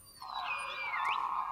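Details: Beluga whales in the Arctic Ocean, probably a group passing an underwater recording site, whistle in a squeaky tone sweeping down then curling back up over a steady band.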